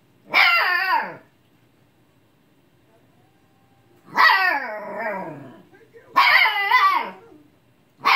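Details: Husky puppy mad at a lazy old cat for not playing, giving drawn-out woo-like barks: one long call, a pause of nearly three seconds, then two more rising-and-falling yelps in quick succession and the start of another.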